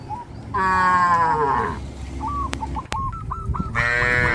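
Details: A herd of cows on a traditional village farm heading toward green grass fields; a long, drawn-out low moo with a falling tone, then a second moo starting near the end, with short repeated honking calls from other animals between them.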